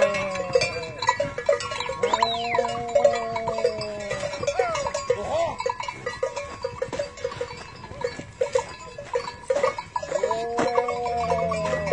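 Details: Modern cow farm in Holland, 2019, with several long, low moos, each about two seconds and fairly level in pitch, spread through the barn noise along with a constant tonal hum, knocks and a sweeping high squeak.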